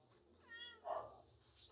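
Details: Domestic cat playing with a mouse it has caught, indoors; one short, tonal meow with stacked harmonics lasting about a quarter second, followed by a louder burst, while a woman talks to it in Tagalog.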